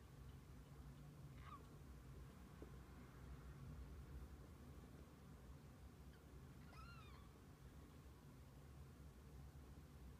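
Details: Kittens together with their mother cat through the day; two short, high, thin mews, one early and a second arching, slightly wavering one a few seconds later, over a steady low rumble of background noise.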